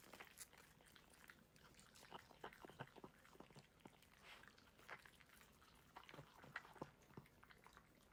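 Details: Dog eating a meal: soft, scattered crunches and clicks of chewing, irregularly spaced and fairly quiet, with no other clear sounds.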